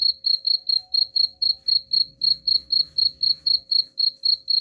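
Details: Steady cricket chirping offered as a rat repellent, evenly spaced high pulses about four per second without a break, over a faint low rumble and a constant thin hum.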